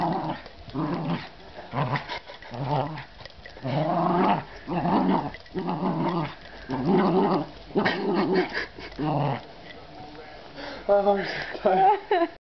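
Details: Dog growling during a game of tug of war indoors, a run of low rumbling growls in bursts about once a second, then quieter with a few higher yips and whines near the end.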